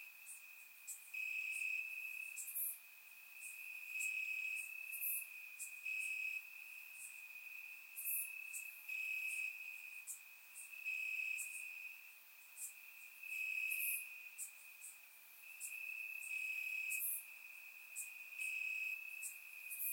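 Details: On a warm summer night in Bulgaria, crickets chirp in the grass, recorded in surround sound; a shrill trill rises and falls in short bursts while many brief, very high chirps repeat throughout.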